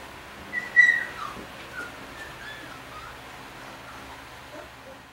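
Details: Puppy named Push, who escapes his siblings each night to sleep on his mother Risk's bed, gives a brief high thin whine followed by a few fainter, softer whimpers over a low indoor hum.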